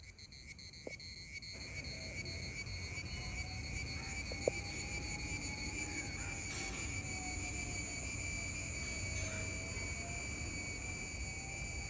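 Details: Loud summer buzzing of male cicadas, a constant shrill drone in layered high tones, with a few sharp clicks early on and a faint wavering lower whine running beneath.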